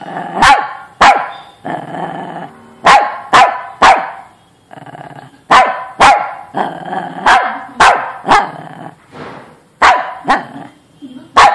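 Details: Agitated dog barks rapidly and irregularly, sharp barks coming about every half second to second, with rough growly sounds between bursts and quieter moments.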